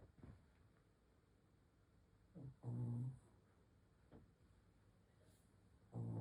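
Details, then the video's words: A Shih Tzu snores in its sleep, giving two deep, buzzy snore bursts about three seconds apart, with only soft breathing and low background hiss in between. "코골이 하는 시츄"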